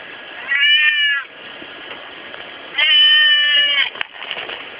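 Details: Pet cat meowing by day, two drawn-out, clear harmonic meows about two seconds apart, the second longer and louder, with a constant low hiss behind.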